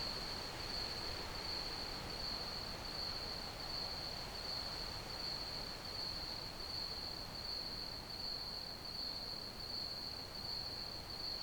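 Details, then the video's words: Steady pulsed chirping of crickets, a thin high trill that carries on without pause above a continuous wash of low, noisy background rumble. "Crickets Chirping Sounds"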